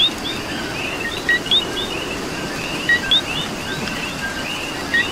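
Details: In Puerto Rican rain, a nearby coqui gives its two-part call, a low short tone then a quick upward whistle, roughly every one and a half seconds. Many fainter coquis chirp behind it and rainfall hisses steadily.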